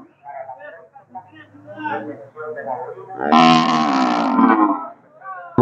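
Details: Cattle at the Nueva Guadalupe livestock market, where teams of young steers and oxen are offered; after a man talks, a loud, harmonic bellow rings out for nearly two seconds before speech resumes.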